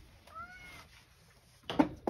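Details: Male rescue cat indoors, praised for neatly eating its treats before being scolded for getting into a storage space and told it cannot go outside; a soft, brief, slightly falling meow, followed by thumps and handling noises.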